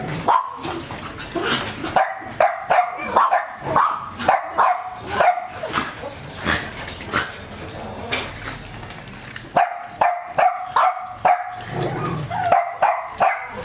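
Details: German Shepherd of a working line, kept as a pet dog, barking in quick bursts of sharp barks with short gaps between them, fairly loud and close.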